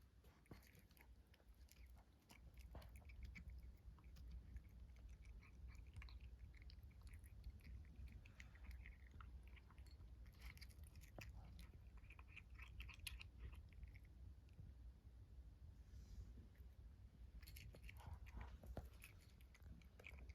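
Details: A kitten chewing while eating, recorded indoors: quiet, irregular crunchy clicks and ticks scattered throughout, heard close over a low steady room hum.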